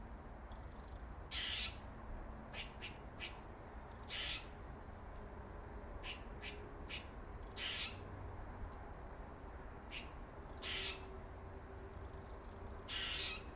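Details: Squirrel, male, dark-faced, giving a run of funny noises: loud rasping bursts of about half a second mixed with quick clicky ticks, in irregular series, above a quiet low background drone.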